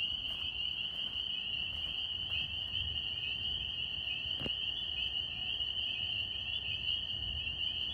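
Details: New York tree frogs, Northern spring peepers, in full chorus. Rapid high peeps overlap into a continuous pulsing whine, and one sharp click sounds near the middle.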